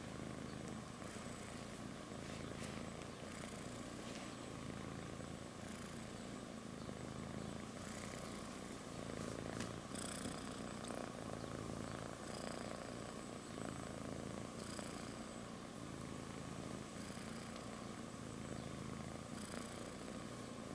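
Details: A kitten purrs while sleeping on its mother's belly; a steady low rumbling purr runs continuously throughout, with faint clicks and rustles above it.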